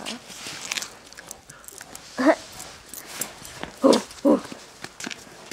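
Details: Female dog playing in snow and eating it while being urged on. She gives three short, whiny yelps in the middle, with a person's voice and a few soft snow sounds around them.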